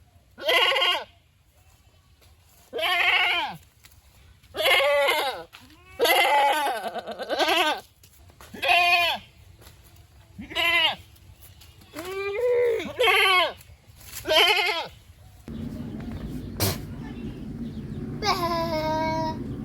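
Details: Goats bleating in a string of about ten wavering, nasal calls, each under a second long, separated by short gaps; the final seconds change to a steadier background hum with one higher bleat near the end.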